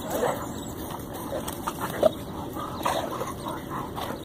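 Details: Playful wrestling at a park between Dyna, a Dane, and Sandlot, a massive Mastiff. Soft huffs and brief whimpering yips come in scattered short bursts, with one sharper yelp near the middle.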